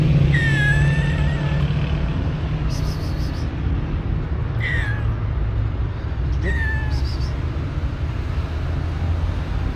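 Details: Shy, hungry calico street cat meowing outdoors: several rising-falling mewing calls over about seven seconds, heard against constant low traffic rumble with brief voices and clatter.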